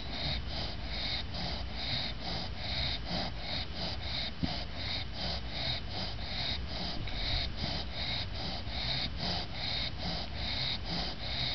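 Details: An exhausted English bulldog snores after her bath, keeping her eyes open, with rapid, rasping snorts at roughly one breath per second.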